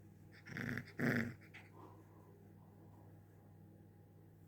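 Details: Small pet puppy wanting to play, indoors: two short, rough, gruff growling bursts within the first second and a half, the second louder, then quiet with a steady low room hum.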